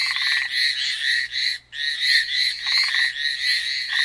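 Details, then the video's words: Amami Island frogs in full chorus, high rattling trills pouring out almost without pause, joined by short deeper buzzing pulse trains near the start and end, a momentary gap in the middle. "Frog call at Amami."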